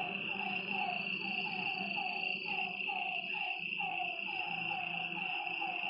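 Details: Frogs at a lakeside after dark call in quick downward-sliding notes that sometimes overlap, accompanied by a persistent high insect trill and a low background hum.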